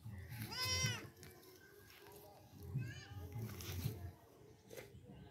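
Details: Kid goat playing with a baby gives a short quavering bleat near the start and a fainter one later, set among soft voices and rustling.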